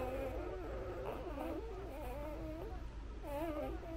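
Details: Newborn Labrador Retriever puppies nursing on their mother, giving overlapping wavering, whining whimpers that wobble up and down in pitch almost without pause, over a steady low hum.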